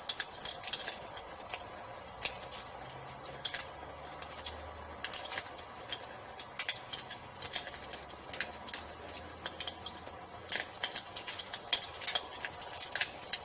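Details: Nature ambience at evening with crickets and a fireplace: a steady shrill cricket trill underlies dense clusters of sharp fire crackles and snaps.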